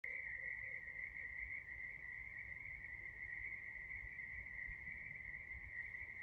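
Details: Frog. A night chorus of frogs forms a continuous high-pitched trill that holds steady throughout. A few faint lower pulses show early on beneath the constant drone.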